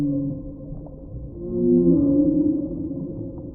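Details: Whale heard in the deep sea, giving low, overlapping tonal moans that swell in the middle and slowly waver in pitch, with a steady underwater rumble throughout.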